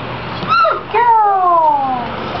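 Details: Six-week-old Clumber Spaniel puppies from a Tricklecreek litter, playing indoors: a short whine rises and falls, then after a pause a longer high whine slides steadily downward, with low room hum underneath.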